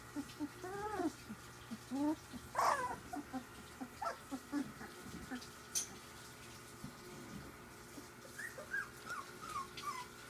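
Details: Ziva's three-week-old pups at play give a steady stream of small squeaks, whimpers and short rising-falling squeals scattered through the recording over a low constant background hum.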